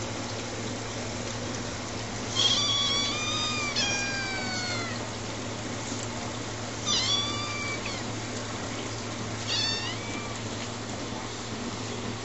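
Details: Tiger and Ash, kittens eleven weeks old, give three bursts of plaintive meowing a few seconds apart, each a cluster of thin high mews sliding downward, with a constant low electrical hum underneath.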